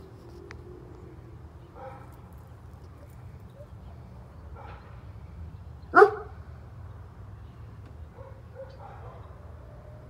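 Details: A neighbour's German Shepherd, mostly quiet at first with a few soft muffled yelps, then one sudden loud bark near the middle, followed by faint whimpering sounds over steady low rumbling background noise.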